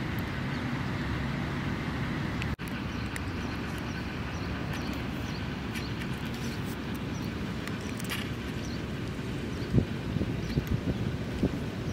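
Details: Low outdoor rumble like passing traffic and wind, with a sharp click near the start and scattered faint knocks; no animal call stands out.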